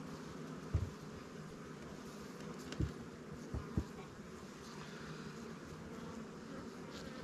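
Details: Honey bees on the top cover of a newly captured swarm hive in a beekeeper's apiary, just given a little smoke: a steady, low droning hum of many wings, broken by a few sharp knocks of hive handling.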